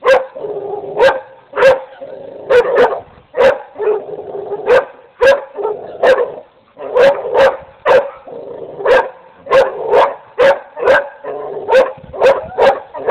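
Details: Barking dogs: rapid, uneven series of loud, sharp barks, some in quick pairs, continuing without a break for over ten seconds.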